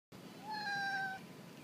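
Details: Alley cat giving a single clear, drawn-out meow, steady in pitch and slightly falling at the end, lasting under a second in a quiet setting.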